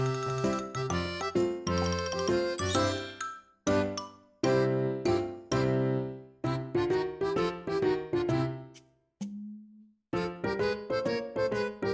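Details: Bright jingling music-box melody in short bursts with brief pauses, and no animal sounds.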